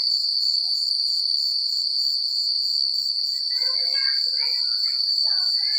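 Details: High continuous cricket trill on a secluded rural night, steady from start to finish, with a flurry of lower chattering chirps in the second half.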